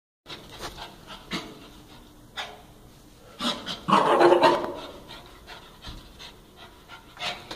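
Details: Casper, a dog running wild, panting in quick irregular breathy bursts, with a louder tonal burst partway through and short noisy clicks scattered around it.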